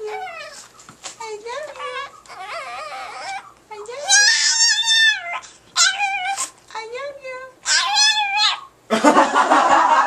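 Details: Pet Chihuahua Paco voices "I love you" in a run of tuneful, moaning phrases, each curving up then falling, several in quick succession, while people respond indoors and loud speech closes the clip.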